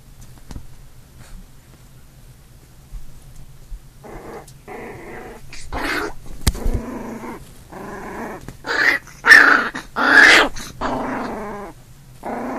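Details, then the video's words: Big brother puppy and newborn puppy fighting: a quiet opening, then a run of short growls and yips that grow louder and harsher toward the end, roughly one burst per second. "Big brother puppy and new born puppy fighting"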